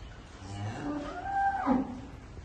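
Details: Murrah buffalo on a dairy farm in Karnal, India, where a female calf was born the previous night; a rising, harmonic moo swelling and then breaking off near the end, with faint speech and farm background noise.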